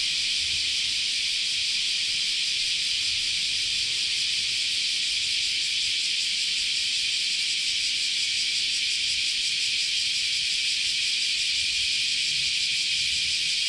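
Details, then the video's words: Dense continuous chorus of cicadas in Japanese summer at Kyoto's Chionji Temple; an unvarying high-pitched buzzing hiss sustained the whole way through, with only a faint low rumble beneath. "Sounds of Japanese Summer, Continuous Chorus of Cicadas"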